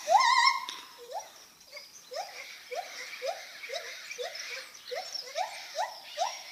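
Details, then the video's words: Lar gibbon giving a loud wavering, warbling note, then a steady train of about ten short rising hoots, roughly two per second, over a hissy background. "Lar gibbon making funny noises"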